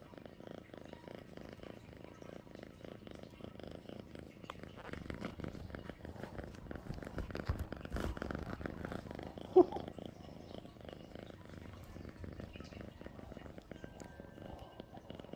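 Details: A house cat called Sweet Pea gives a soft, quieter purr, a low pulsing rumble rising slightly in the middle, with a sharp tap partway through.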